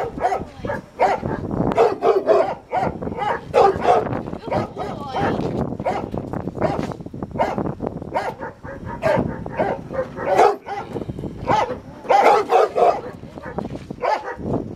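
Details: Rottweiler barking during protection training, on its first time biting a sleeve; loud harsh barks come in irregular bursts throughout, mixed with a man's voice repeatedly praising the dog.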